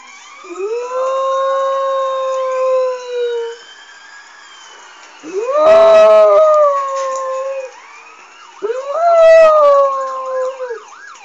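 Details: A male Jack Russell Terrier howls along to a police siren played from a recording, in three long, wavering bursts; he howls every time he hears one.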